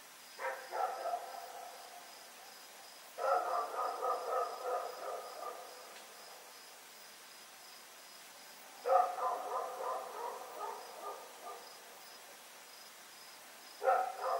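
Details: Rex, a dog, running around at night, recorded on Oct 7, 2018: bursts of rapid barks in clusters, roughly every five seconds, with a steady high cricket-like trill throughout.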